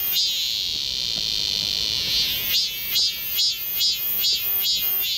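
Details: Cicadas chorusing in the forest of Galsan Park, Mokdong, Yangcheon-gu, Seoul, in midsummer: a dense, continuous high-pitched buzzing drone that, in the second half, pulses in rhythmic swells roughly twice a second.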